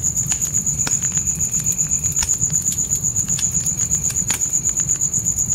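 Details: Crickets calling at night near a tent campfire in a forest setting; shrill, evenly pulsed chirps run roughly four per second, while crackling pops from the fire and a deep flame rumble sit underneath.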